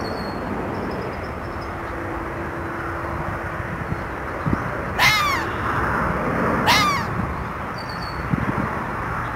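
A red fox gives two harsh, hoarse barks, under two seconds apart, over steady background hiss.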